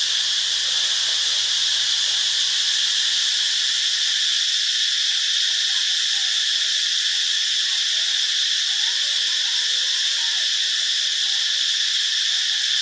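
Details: Cicadas in Ubon Ratchathani, Thailand, give a steady, unbroken high-pitched shrill buzz that holds at the same level throughout. A faint low hum in the first few seconds is followed by a few soft chirps in the background.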